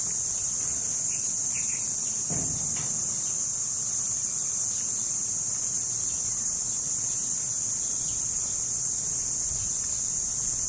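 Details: Cricket (kuliglig) keeps up an even, unbroken high shrilling from start to finish, with a short faint thump early on and otherwise quiet surroundings.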